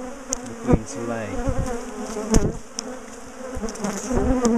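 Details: A dense, low buzz rises from a big bee colony being split from a top bar hive. Loud knocks and bumps of hive handling punctuate the drone, with brief voices.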